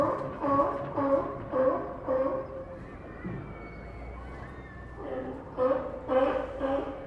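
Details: Sea lions at the Santa Cruz docks bark in a quick run of four hoarse calls, fall quiet for about two seconds while pier noise and a faint whine continue, then resume with another burst of barks.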